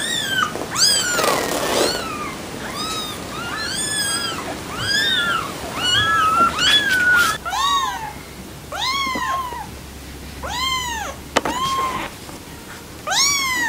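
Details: Kittens calling nonstop, many high-pitched arching meows in quick succession, roughly two per second, with a brief click near the end.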